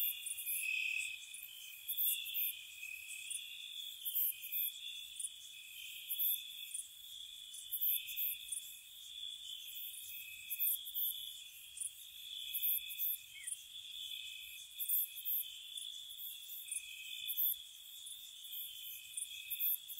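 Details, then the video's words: Night-time crickets in spring around a cottage: a dense, unbroken high trill, overlapping callers shifting slightly in pitch, punctuated by rapid bright pulses roughly four times a second throughout. "Cricket Sounds"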